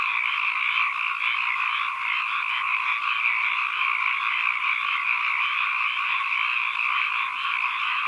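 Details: Frogs calling as ambient sound: a dense, unbroken chorus of rapid trilling croaks in two steady mid-pitched bands, with no other sounds and no low rumble.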